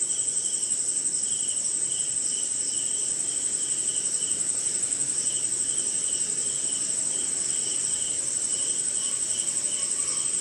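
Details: Rainy-night cricket chorus from India: a bright, continuous high trill, with a softer lower chirp pulsing about three times per second in a fairly even rhythm, and other insects faintly beneath.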